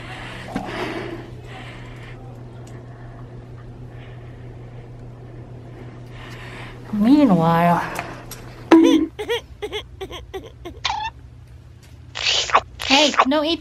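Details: A Corgi cries on a snowy day while going out to play in the snow, giving a high, wavering whine that rises and falls, with people talking around it.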